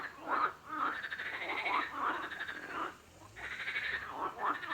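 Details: Rasping, buzzy frog croaks in short bursts, a cluster in the first three seconds, a quieter pause, then another run of croaks toward the end.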